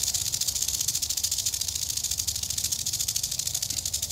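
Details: Eastern diamondback rattlesnake in Florida, approached on location: a steady, dry, high-pitched buzzing rattle pulsing rapidly without a break.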